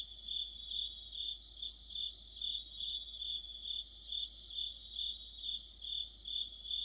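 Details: Crickets and other insects chorusing in autumn, shrill continuous tone with pulsing chirps swelling and ebbing in a steady cycle, several insects overlapping.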